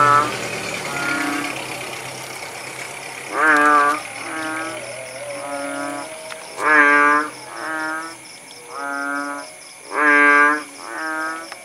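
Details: After rain in the village countryside of Langsa, Aceh, kodok bangkong frogs give deep, harmonic, cow-like notes. Some are strong and some weaker, alternating as several callers answer each other. The opening seconds are noisier.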